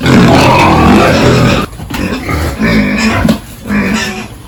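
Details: Pigs on a village farm at morning feeding and pen cleaning; harsh, dense squealing for over a second, then rhythmic lower grunting and snorting pulses, with a faint constant high hum in the background.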